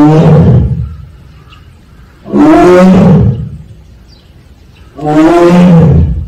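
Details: Siberian tiger kept at Seoul Grand Park zoo calls 'aung' three times, each a deep, harmonic, moaning roar lasting under a second, spaced about two and a half seconds apart with near silence between.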